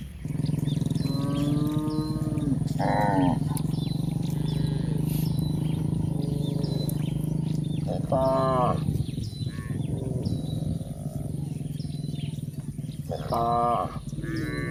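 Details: Grazing village cows on a green pasture, with brief harmonic moos at intervals of about five seconds, partly masked by a steady, loud, low droning hum throughout.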